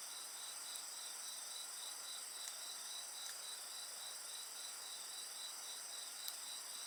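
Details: Night insects calling by a campfire, a regular pulsing chirp train, about four pulses each second, set against unbroken shrill high trills, with faint snaps of burning wood now and then.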